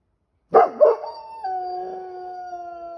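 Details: A Golden Retriever, Retsu, aged 1 year 5 months, in Sapporo, Hokkaido, gives two quick yelps and then a sustained, even howl that holds steady for about two seconds against quiet surroundings.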